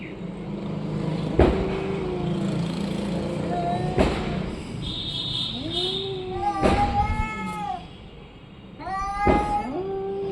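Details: Orange and white domestic cat meowing repeatedly with arched, harmonic-rich calls, some short and some drawn out, among knocks, low rumbling and a brief high whine.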